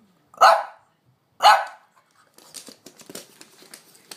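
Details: French Bulldog Amelie barks twice sharply, urging her owner to go for a walk, followed by scuffling and rustling sounds indoors.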